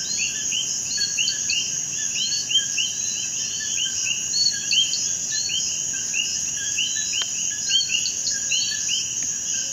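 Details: Night chorus of common coquí frogs (Eleutherodactylus coqui) in Puerto Rico, a species found in almost any moist habitat: each repeats quick upward-sliding two-part whistles over a constant high insect drone.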